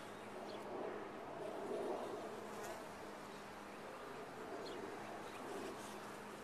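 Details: Honey bees in a top-bar hive, a dense steady hum of many wings centred in the mid range with a faint low drone line, holding even throughout with slight swells in loudness.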